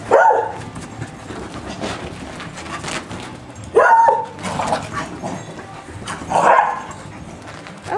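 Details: A noisy, excited pet beagle barks three times, loud sharp barks about three seconds apart, with quieter whines and rustling between them and a woman speaking nearby.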